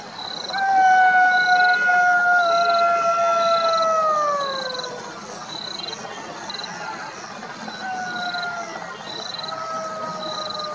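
Golden jackal giving long, high wailing howls that slide slowly downward, with insects pulsing steadily behind.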